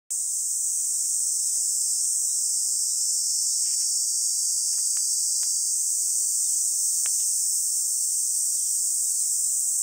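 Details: Cicadas drone in a steady, high-pitched buzzing chorus in grassy scrub on Songi-do island, Korea, on a summer morning, 11 July 2022, 10:15.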